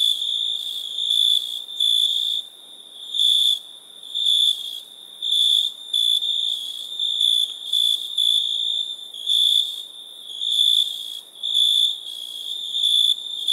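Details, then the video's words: Crickets chirping at night: a shrill, high, pulsing trill in short bursts of roughly half a second to a second, repeating almost steadily with brief gaps, plus fainter overlapping chirps in the background. "Relaxing Chirping Crickets"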